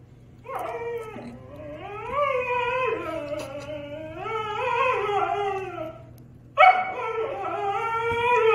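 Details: Husky and German Shepherd in an indoor argument: long wavering howls that rise and fall, with a brief pause before a sharp, louder howling outburst resumes; faint background hum.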